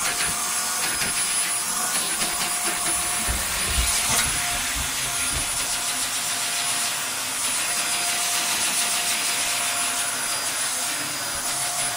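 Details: A vacuum cleaner roars steadily indoors as a pointer and two ridgebacks are groomed with the hoover, a constant broadband whine with no barking or other animal sounds.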